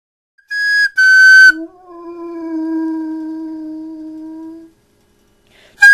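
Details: Phobey, a 100-pound pet dog that flutes, ambulances and coyotes set off, answers two short high flute notes with a long, steady, deep baritone howl held for about three seconds before it fades.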